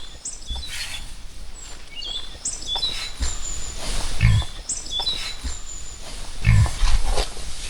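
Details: A herd of large wild boars in a mountain forest gorge, moving close past a hiker's shelter, gives deep, rough grunts in two short bursts, then runs off up a steep slope; small birds whistle and trill around.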